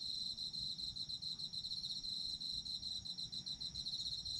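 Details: Autumn insect chorus for sleep listening: shrill high-pitched pulses repeat rapidly and evenly throughout, with a continuous thin buzzing tone alongside and soft low background rumble.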